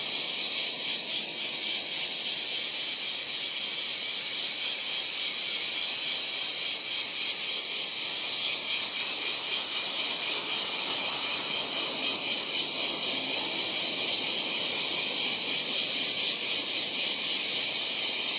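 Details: Large brown cicada calling in July: a dense, continuous sizzling buzz, very high-pitched and steady throughout, with a fine rapid pulsing texture and no other clear sounds.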